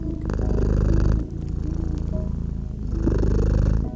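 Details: Cozy cat purring beside a crackling fireplace in winter ambience. A low, steady rumble rises on one breath, dips briefly, then swells again. Faint snaps from the fire and gentle sustained music notes sit underneath.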